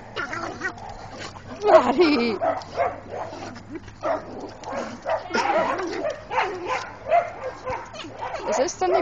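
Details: A Cocker Spaniel and a French Bulldog playing, giving rapid, irregular bursts of growly barks and yaps that rise and fall in loudness throughout, with a human voice audible among them.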